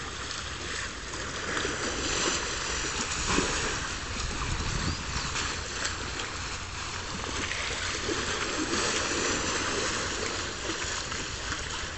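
Steady rushing and splashing water fills the recording, with no animal voice standing out.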